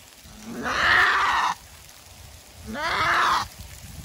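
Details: Female goat giving birth for the first time, a hard labour with a single kid; two loud harsh screams, each rising from a low start into a broad raspy cry lasting about a second, spaced about two seconds apart.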